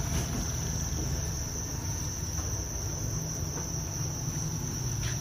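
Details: Many Thai crickets raised on a farm make a continuous shrill, ringing trill that never pauses. Dull low-frequency background noise runs throughout.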